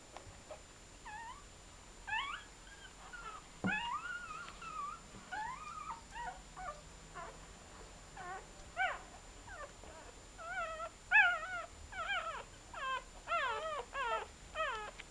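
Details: Newborn Chow Chow puppies on their first day of life, born 23 July 2010, a litter giving thin high squeaking whimpers that rise and fall, scattered at first then in quick overlapping runs, with a faint steady electrical whine.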